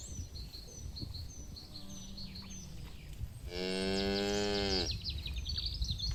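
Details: A herd of livestock cattle feeding on grass in a green field; one strong, steady moo lasting over a second dominates, framed by repeated bright bird chirps and soft outdoor noise.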